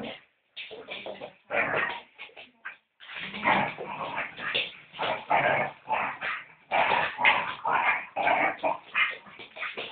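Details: Pet dog Luna playing with a person at home, giving dense runs of rough, whining and growly vocal bursts, each lasting a second or two and split by short pauses, with the activity continuing steadily through the recording.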